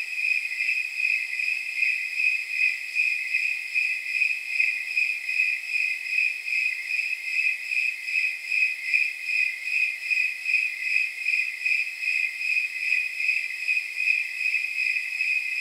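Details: Night chorus of snowy tree crickets, known as temperature crickets, on an evening of around 79 degrees: steady, ringing chirps pulsing at regular intervals throughout, high-pitched and clear, nothing else audible.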